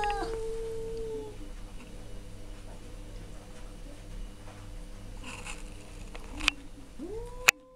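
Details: Two male cats yowling at each other indoors: a long drawn-out moaning tone held over a second, a quiet stretch with low hum, then a rising, wailing cry near the end with a sharp click.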